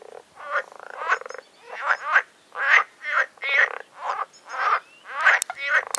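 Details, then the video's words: A noisy frog chorus in a pond on a nature trail at Agios Demetrianos, north of Paphos, Cyprus, in spring, probably mating season: rough, pulsed croaks overlap in quick bursts about every half second. "Frog chorus on nature trail in Agios Demetrianos in Cyprus"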